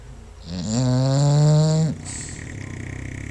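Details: Sleeping bulldog Paisley lets out a single buzzy, steady snore lasting about a second and a half, with other sleeping bulldogs, Magoo and Bumbellina, nearby and a softer rhythmic breathing noise afterwards.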